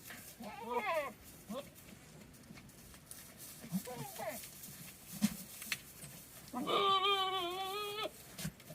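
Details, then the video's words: Domestic goats during the rut, one in heat, in an area with nearby wildfires: wavering, quavering bleats, two short ones early and a long, loud, shaky bleat near the end, with faint talking and background rumble. "Goats making some crazy sounds"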